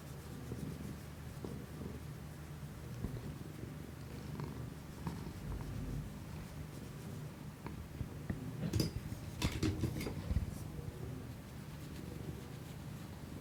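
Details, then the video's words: House cat purring steadily, ASMR recording made with a Shure MV88 external microphone on an iPhone; a long, low rhythmic rumble, interrupted midway by a short burst of rustling handling noise, then purring resumes. "ASMR新外部マイクで猫のゴロゴロ音を録ってみたI tried to record the rumbling sound of a cat with a new external microphone"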